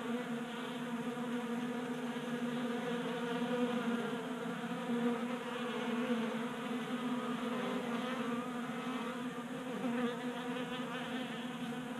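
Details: Honey bees feasting at a 3D printed feeder set on a workbench in a Colorado garage in January; continuous buzzing drone that rises and falls slightly as bees move about.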